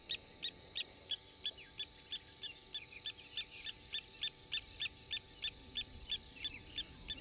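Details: Banded rubber frog at Djuma private game reserve, 30 November 2021: rapid run of short, bright, ringing notes at about three per second, each with a higher overtone, and several similar callers overlapping.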